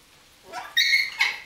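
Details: Coton de Tulear dog during play, one rising whine followed by a sharp high-pitched yelp and a shorter second yip.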